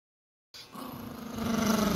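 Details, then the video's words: An angry Poodle growling: after a silent start, a continuous low, rumbling growl swells steadily louder with a pulsing texture over about a second and a half. "Poodle Barking Sounds HD | Angry Poodle"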